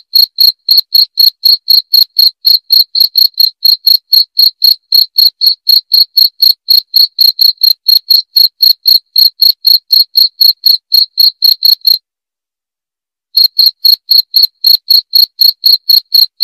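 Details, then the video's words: Cricket chirping, offered as a sound to drive away rats: loud, clean, high-pitched pulses repeated about four times per second, steady for twelve seconds, a brief silence, then the same rapid chirping resumes. "SUARA JANGKRIK PENGUSIR TIKUS"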